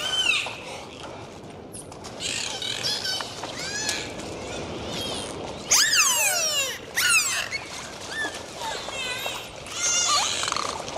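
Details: Several dolphins underwater in the sea fill the water with overlapping looping and descending whistles, rich in harmonics, plus loud buzzing burst pulses near the middle, against a background of sea hiss.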